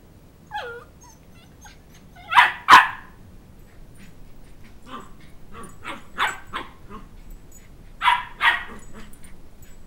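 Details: Two-month-old Shetland Sheepdog pup chasing a two-year-old for a stuffed toy; a brief whine, a loud double bark, a string of softer quick yips, then two more barks near the end.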